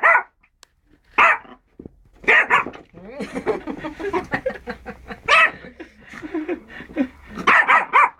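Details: Yorkshire Terrier meeting a rabbit for the first time, giving loud sharp barks in bursts every one to two seconds, with quieter chatter and a person talking between the barks.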